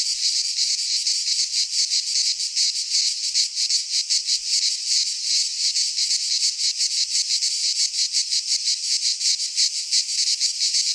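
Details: Midsummer chorus of cicadas from the Greek fauna, recorded in a pine forest, forming a continuous shrill rasping buzz with rapid throbbing pulses roughly three per second throughout, alone against silence.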